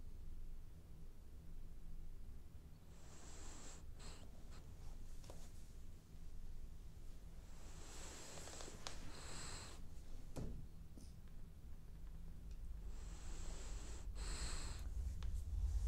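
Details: French Bulldog snoring while dreaming indoors: soft, airy breaths rise into hissy, faintly whistling bursts about every five seconds, with quieter low rumbling in between in a still small room.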